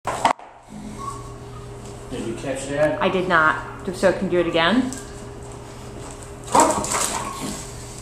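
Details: Pistachio, a Hound up for adoption, gives a drawn-out, wavering vocal run of stacked harmonics rising and falling for about two seconds, followed by a sharper burst, over a steady low electrical hum indoors.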